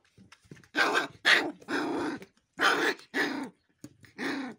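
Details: Gaddi dog puppies, also called Bhotia or Himalayan sheepdog, being aggressive: rough harmonic growl-barks in short bursts of about half a second, with gaps between, and a few faint softer sounds.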